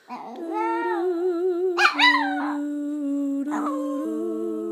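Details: Chico, a five-year-old pet chihuahua, singing along indoors as Christmas carols are sung: wavering, high, upward-swooping howls rise over a steady hummed human tone, with short yelping peaks near the middle and end.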